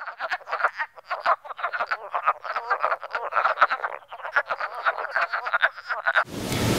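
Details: A chorus of male wood frogs in Northern Ontario, calling in late March to early April after snowmelt from temporary spring pools in woodlots, gives rapid, clucking croaks like quacking ducks to attract females.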